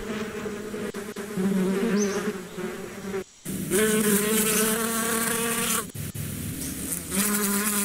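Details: Bees buzzing steadily in a low, droning hum with a rich ringing overtone, swelling and fading as insects pass close; a couple of brief cut-outs and one faint high chirp.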